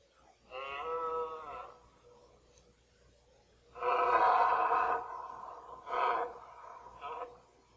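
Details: Red deer stag, mostly one fourteen-pointer, bellowing during the 2014 rut: a long harmonic roar, a pause, then a louder, harsher roar followed by two short grunting bursts.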